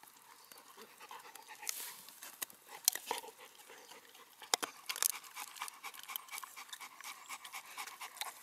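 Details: Cane Corso female Siva and Dogo Canario mix Manfred during rough play that ends in affectionate closeness; quick hissing pants run steadily throughout, broken by a few louder scrapes and thumps.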